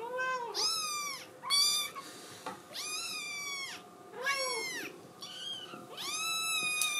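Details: ['Blue tabby Scottish Fold kitten, female, crying insistently indoors to be let outside: about six loud, bright, rising-then-falling meows in quick succession, rich in overtones, with short pauses between.']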